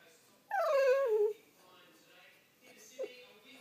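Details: French Bulldog waking its owner, one drawn-out whine that starts high and slides downward over nearly a second, then a short faint yip; quiet indoor room.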